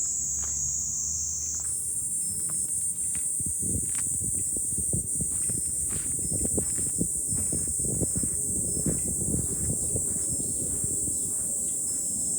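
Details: Cicadas in July on a hilltop with a view over Fukuoka city, Japan: a constant shrill high drone that steps up in pitch early on, accompanied by scattered knocks and rustling clatter below.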